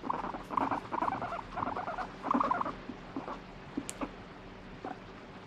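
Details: Guinea pig protesting while stroked, then wanting more, pours out dense pulsed rumbling in four strong bursts, trailing off into scattered faint clicks and a brief squeak.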